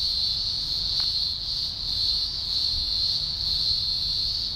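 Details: Green grocer cicadas, thousands singing together at a large emergence in the Blue Mountains, Australia, early October 2020: a deafening, continuous high buzzing drone that swells and eases gently with faint low rumble beneath.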